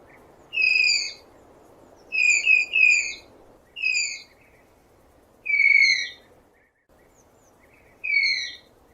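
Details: High, thin whistling squeals from a tapir in the wild, single notes and a quick double, six or so across nine seconds, each slightly descending and harmonic-rich, with a constant gentle background hiss.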